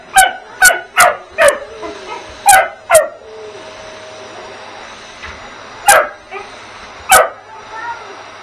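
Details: Bugs the puppy attacks and barks at the household vacuum: six quick, uneven barks in the first three seconds, then a lull with a faint hum, and two more isolated barks near the end.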